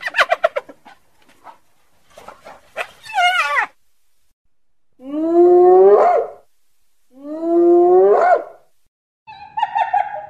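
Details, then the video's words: Hyena howl: after a few short yelps, two long, drawn-out whoops, each swelling and sliding upward in pitch, spaced about two seconds apart, then a brief steadier call at the end. "Odgłosy hieny, wycie hieny, hiena na wideo, dźwięki hieny - dźwięki zwierząt The Sound a Hyena Makes"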